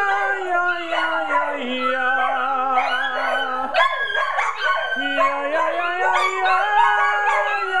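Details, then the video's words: Several pet dogs at home on a Friday night, untrained, howl together when prompted to sing: long wavering overlapping howls rise and fall over a steady low held tone that steps down and back up, then a person says good job. "Singing Dogs"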